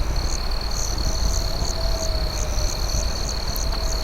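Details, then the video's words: Crickets chirp at night in rhythmic pulses, roughly two or three per second, over a sustained high trill, with a campfire crackling and popping loudly underneath. "Night Campfire Ambience with Cricket Sounds"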